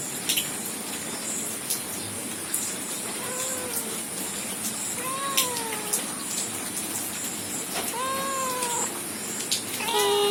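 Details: Domestic cat family in the morning: a young male kitten resting beside his father while the mother is ignored. Several short arched meows arrive near three, five and eight seconds, then a brief call at the end, over constant hissing background noise.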